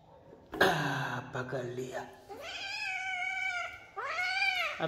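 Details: Domestic cat meowing indoors while a person talks nearby in Hindi: a harsh short cry at the start, then a long, drawn-out harmonic meow and a shorter arched meow near the end.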